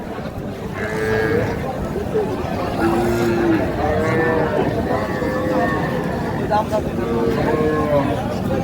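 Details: Small Sahiwal bull calves at the Raniganj cattle market, Sylhet, Bangladesh, on 6 March 2025, give drawn-out moos, some gently rising or falling, repeated several times. Men bargain loudly nearby amid market bustle.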